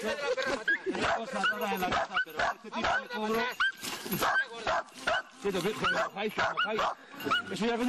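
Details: Jagdterrier giving bursts of high, rising yips and whines, some rapid and clustered, while a man speaks Spanish over and between them, urging the dog on.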